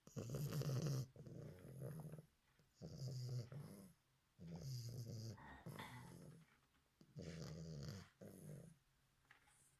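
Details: Bulldog puppy asleep, snoring deeply: low, rasping, rumbling breaths in long bursts of about one second, each followed by a softer exhale, repeating roughly every two seconds indoors.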